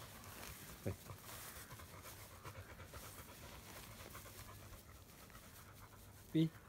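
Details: Panting black Labrador Retriever, Bee, during shedding season: soft rhythmic breathy huffs, with brief spoken words from a woman and two short knocks.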